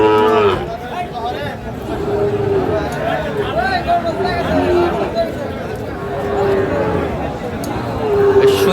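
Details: Sahiwal bull calves at a crowded cattle market in Manikganj, Bangladesh, on 21 November 2024, giving several short, steady mid-pitched moos spread through the clip, under constant chatter of many people.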